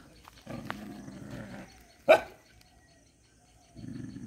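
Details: Dog giving a low drawn-out whine or growl, then one sharp loud bark, followed by quieter low rumbling.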